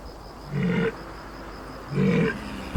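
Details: Two deep, gruff roars from walruses on the ice in the Siberian winter mating season, when bulls fight with their tusks. Each roar lasts under half a second, about 1.3 seconds apart, low and harsh over a steady background rumble.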